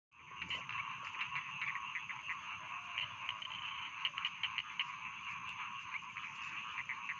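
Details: Rice field frogs calling together as a dense chorus of rapid, rasping croaks that overlap continuously, with a steady high thin whine running beneath the whole recording.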